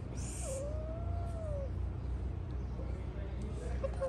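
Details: Light brown triple-coated Persian cat, one of an indoor male and female pair, giving a single drawn-out meow that rises then falls, with a person talking nearby and a steady low hum behind.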